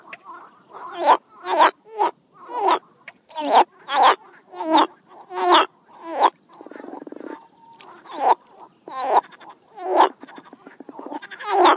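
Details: A frog croaks loudly and steadily, about one harsh, rasping croak every second, each rising in a short swell, with a softer buzzing trill in the middle of the run.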